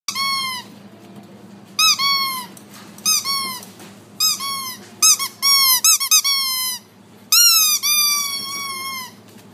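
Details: Female Border Collie puppy, black and white, born February 2018, kept in a pet shop, gives high, thin whines and squeaks in quick bursts. Each bursts out sharply and then slides downward. The bursts come in uneven clusters about every second, indoors in a small room.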